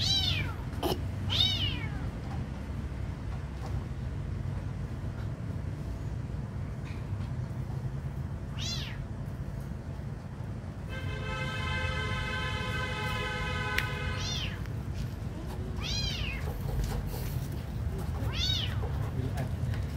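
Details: Kitten being given food, several high, falling meows spread out, with a long steady tonal hum in the middle and a low rumbling background throughout.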